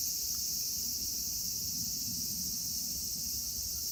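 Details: Cicadas singing in Kitatama District, Tokyo, Japan, where Platypleura kaempferi, Graptopsaltria nigrofuscata and Hyalessa maculaticollis occur: a dense, steady, high hissing buzz that continues unbroken, with a low rumble of background noise.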